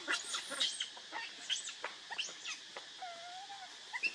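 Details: Baby monkey Leo crying and begging its mother for milk while hungry; a long wavering tonal coo near the end follows thin high whistles, over scattered clicks, taps and rustling.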